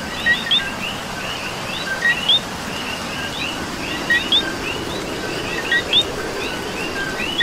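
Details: Many coqui frogs in rain in Puerto Rico overlap in a busy chorus, each call a quick low tone leaping up to a sharp whistled note, a few louder callers standing out against continuous soft rain hiss.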